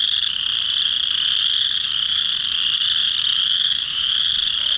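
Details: Early March chorus frogs: many males singing at a pond after warm spring rain to draw females; a thick, steady high-pitched chorus of overlapping trills with no pauses, clean and free of other noise.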